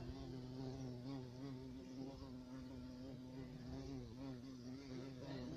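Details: A black bumblebee, identified as the European carpenter bee Xylocopa violacea, a large, hairy black insect, gives a steady, low droning buzz with rich overtones that waver slightly.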